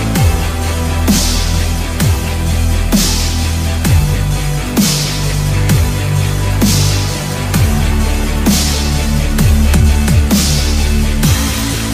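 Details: Pounding electronic dance music with heavy sub-bass, throbbing beats roughly once a second and swooping synth sweeps; no animal voice is heard.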